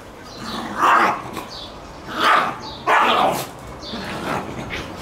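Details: Adult black Shiba Inu female scolding a black Shiba puppy that keeps pestering her to play while she wants to poop; three short harsh barking outbursts near one, two and three seconds, with quieter grumbling afterward.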